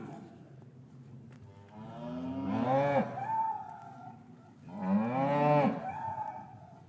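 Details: Cows lowing in a traditional English cattle yard on a winter afternoon after the calves were separated from their mothers; two drawn-out, harmonic moos about two seconds apart, each swelling then falling, recorded with a matched pair of Rode M5 microphones.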